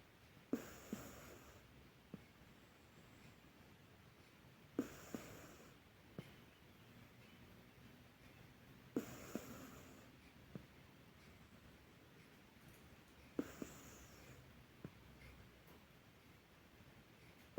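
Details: Cat. A domestic cat snores in slow, regular breaths, each a soft hissing rasp roughly four seconds apart. Faint clicks and a quiet room hush sit between the breaths.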